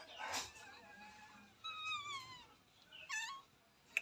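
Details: Puppies beside their mother dog, some newborn and one black, give thin high whines and squeaks in short rising and falling bursts, three separate bursts over four seconds in a small quiet room.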